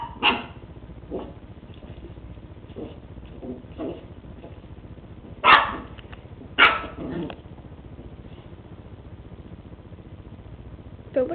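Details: Lucy, a West Highland White Terrier, playing with a treat ball for the first time: a few sharp barks spread across the recording, the loudest two close together midway, with faint rattling and quiet room noise between them.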